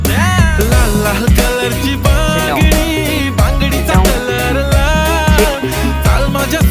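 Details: Upbeat Afrobeat-style music with a strong steady bass beat and bright melodic lines runs throughout; no animal voices can be picked out.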